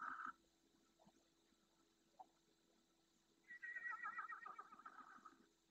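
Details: Red deer at night in the marshes of Doñana National Park, Spain, a group of two adult hinds and seven calves near the camera; a short nasal bleat opens, a faint note follows, then a longer wavering mid-pitched call near the end.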